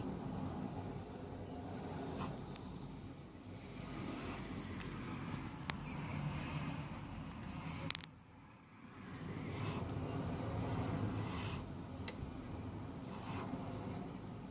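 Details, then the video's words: Wodda the cat asleep, half in his bed in the sun and half on a cool desk, making soft snuffly snores, breathy hissing puffs recurring roughly every two seconds over a low steady hum, with one sharp click midway. "Snoring Cat"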